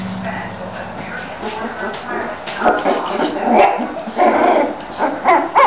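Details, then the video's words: Three-week-old Bulldog puppies, males and females, playing and moving around in Florida; soft murmuring puppy noises build into high, thin rising-and-falling whimpers near the end, with human voices in the background. "Pups raising hell"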